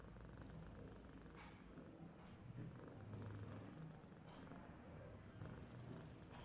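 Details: Domestic cat sleeping and doing nothing, giving a faint, steady low rumbling snore with soft throbbing pulses through a quiet room, a few brief clicks and rustles on top.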